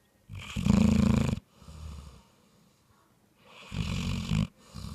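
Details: Bloodhound. Heavy, low snores come from a bloodhound, each inhalation a loud guttural rattle lasting about a second. Quieter, breathy exhales fill the gaps before the next rumbling snore begins.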